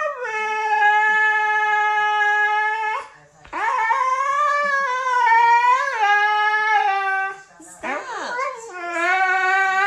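A Siberian Husky howls in long, wavering tones that rise and fall, broken by brief pauses for breath.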